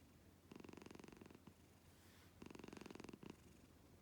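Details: Domestic cat purring indoors, compared to a husband's snoring: two rhythmic bursts of low, pulsing, rattling purr, each lasting under a second and quickly repeated, with quiet room background between.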